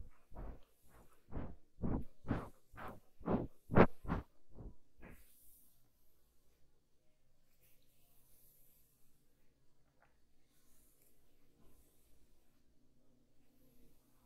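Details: Kitten eating, heard close up indoors: about five seconds of loud, rhythmic broadband chewing clicks at roughly two per second, then near silence with faint soft rustles.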